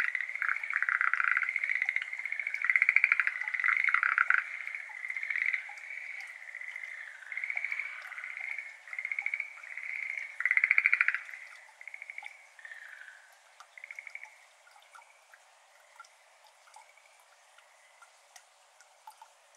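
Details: Schlegel's green tree frog chorus on a May evening in 2022 at a flooded iris garden, Japan. Loud overlapping pulsed croaks fade out midway, leaving only quiet drops of water falling into the garden.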